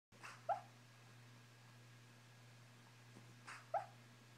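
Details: A sleeping pet dog, a female, dreaming indoors: two soft muffled woofs about three seconds apart, each preceded by a breathy puff, over a steady low hum.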